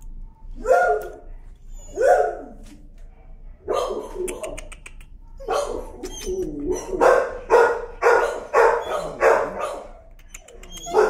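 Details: Timid dog, very sensitive to leash pressure and afraid of the leash, screaming in protest during a walk: harsh, repeated yelping screams in uneven bursts, several quickening near the end, with a person's voice and laughter between.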